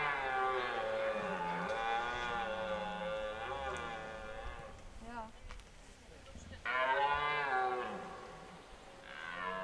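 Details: Red deer roaring in the 2023 rut at Hoge Veluwe park, at a spot where animals are fed apples by the ranger: a very long, rolling guttural roar of nearly five seconds, a pause, then further deep roars.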